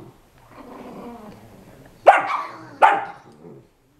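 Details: A 5 lb Chihuahua play fighting with a 25 lb Pitbull puppy in the house: a soft rumbling growl, then two sharp, loud barks less than a second apart.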